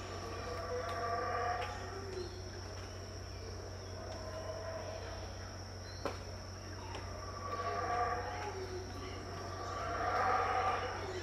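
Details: Howler monkeys at Tikal, Guatemala, around 6am in 2018, heard but not seen: distant, swelling roars rising and falling in waves, loudest near the end, over a steady low hum and faint background chirps.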